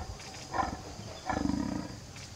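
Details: Captive male jaguar Usuzuki Sasuke, born 21 April 2016 at Tennoji Zoo and tailless from an early injury, calling at Tobe Zoo on 5 October 2021 in his usual thick, low voice: a brief, deep, rasping pulsed grunt over steady background hum.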